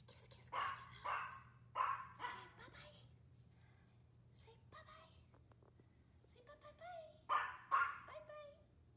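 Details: Female Maltese Dolce doing her odd bark backbend on a hot summer day: a quick run of four or five high, snappy barks, then quieter soft sounds, and a final pair of sharp yaps, over a faint constant hum.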